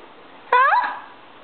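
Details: Stinky, a female pet cat, indoors while content and being spoken to gently, gives one short meow that rises sharply and then falls, rich in overtones, against a quiet room hum.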